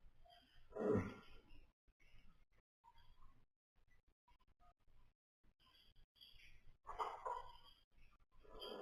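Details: Napping baby pony foal snoring in its sleep: a loud, rough breath burst near the start, quiet shuffling breaths, then another long raspy snore near the end.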